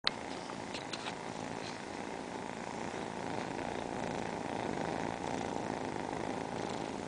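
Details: Four domestic cats lined up together purring, producing a steady, continuous low rumbling drone that holds evenly throughout, likened to an airplane engine, with a few faint soft clicks near the start.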